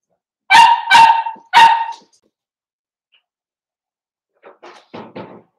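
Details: Five young Blenheim Cavalier King Charles Spaniel puppies playing with their mother in a puppy pen: three loud harmonic barks in quick succession, then a pause and four softer, shorter yips.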